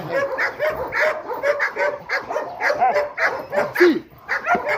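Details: A formerly fearful Rottweiler attacking during guard-dog training: throaty barks and growling snarls in rapid clusters, with a man's urging voice audible between bursts.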